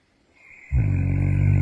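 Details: Roman, a Central Asian Shepherd Dog who guards the household at night, snoring after turning in at 6:30 AM; quiet at first, then a deep, rumbling, steady snore sets in and carries on to the end.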